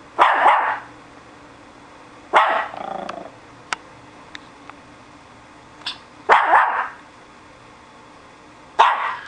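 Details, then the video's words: Guard-dog barking from SuperSaurus, a pet who recently began barking a lot: four loud single barks spaced about two to three seconds apart, with faint clicks and ticks between them. "Guard Dog"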